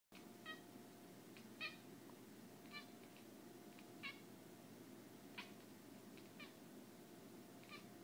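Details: Bucky, a pet cat indoors, squeaks and clicks at a moth on the window: short, harmonic chirping bursts come in quick clusters, about eight spread through the clip, over a steady low room hum.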